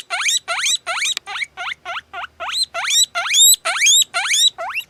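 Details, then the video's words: Guinea pig giving a continuous run of loud, high whistles. Each note sweeps steeply upward and repeats roughly twice a second, some stretching into long, piercing rising squeals, with no other sounds. "Как свистит морская свинка"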